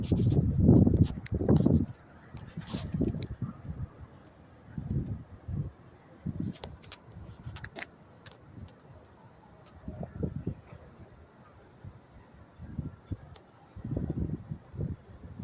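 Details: Crickets chirp in a steady, high, pulsing trill under heavy rumbling traffic at the Mets-Willets Point LIRR train station, New York City, around 10:30 p.m. on May 28, 2024.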